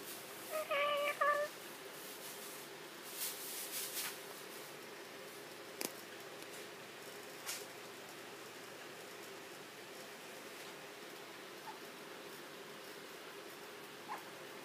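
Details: A female cat named Ocean meows indoors when she sees her lover Doby come in. A short, tonal meow with a few quick rises and falls, followed by quiet room sounds and light human laughter.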